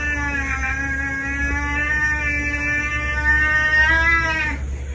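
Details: Orange cat lets out a long, steady, harmonic-rich yowl that holds level for about four seconds, wavers slightly and ends with a brief upward bend, over a constant low hum.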